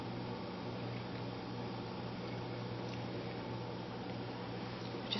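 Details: Steady low electrical hum and soft indoor room noise fill the whole stretch, with no animal voice standing out.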